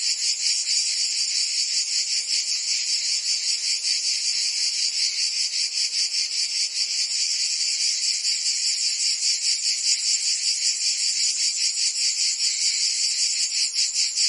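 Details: Singing cicadas in Provence, France, during summer: a loud, sizzling high drone made of many voices, beating in fast regular pulses with only slight swells in loudness.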